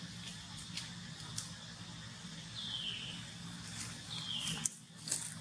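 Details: Polino, a hungry baby monkey wanting milk, utters two drawn-out high squeals that dip and fade, separated by about a second and a half, with soft clicks and a low steady hum behind.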